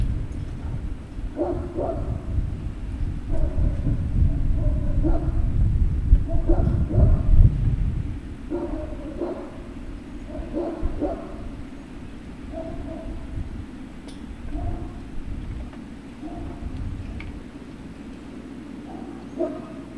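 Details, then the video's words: Great Dane puppy at Puppy Hill, recorded 03-06-2019 around 16:24, giving short whimpering yelps in quick uneven bursts, several per second, then trailing off into sparser cries, over a steady low rumbling hum and occasional soft thuds. "Great Danes Puppy Hill"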